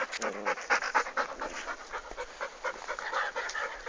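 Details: Golden Retrievers at play in Torres, Rio Grande do Sul, Brazil: three-month-old puppy Dom with his father Guga and brother Hulk. Quick breathy panting comes in uneven bursts about twice a second, with a short whine at the start.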